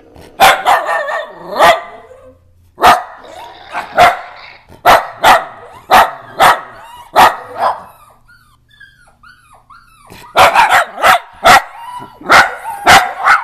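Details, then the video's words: Barking pet dachshunds reacting to phone apps: a steady run of loud, sharp barks roughly every half second, a quiet stretch with soft whining and app sounds, then another rapid burst. "weenies bark at apps"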